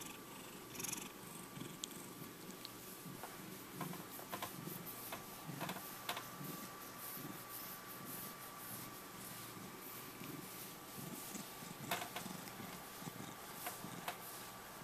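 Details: Checkers, a five-year-old male pet cat, purring steadily indoors; a low continuous rumbling throb runs the whole stretch, with scattered faint clicks and rustles and a thin steady tone in the background.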